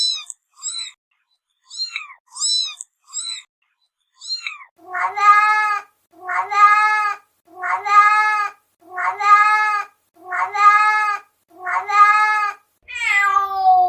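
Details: Domestic cat meows gathered as sounds that attract cats: short high chirping mews at first, then a run of seven long, loud, rising-falling meows about one second apart, ending in a drawn-out descending meow.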